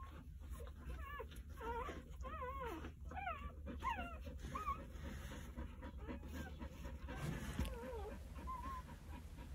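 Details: Two-day-old Jindo puppies, nine in the litter, tended by their mother Sarang; several overlapping squeaky whines with wavering pitch, rising and falling in quick bends, crowded into the first five seconds, then a few softer whimpers near the end.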